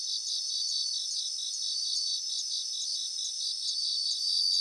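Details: Chorus of bell crickets in a grassland, softer and more distant: a continuous high, evenly pulsed shimmer with several overlapping singers and no single dominant voice.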